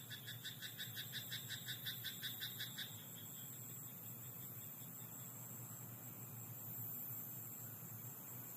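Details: Frog croaking at night in a rice paddy: a fast run of rasping pulses, about three per second, for roughly three seconds before stopping. A steady high insect-like hiss and a low hum continue underneath.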